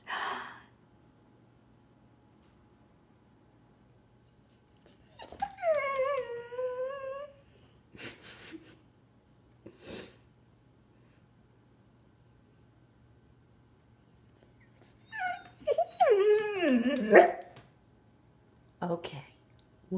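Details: A two-year-old Golden Retriever waits indoors before a trip to the grandparents' house. It lets out a wavering, high whine, then after a long quiet spell a burst of sharper yelping whines that rise and fall, with a person speaking nearby.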